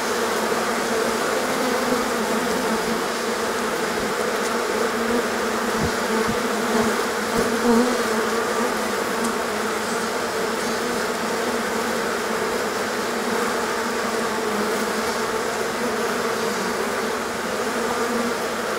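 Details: Honey bee colony swarming on a hot day that follows a long spell of rain and cold that kept the bees confined to the hive; a dense, steady, loud droning hum with layered low tones runs throughout, with a few brief clicks.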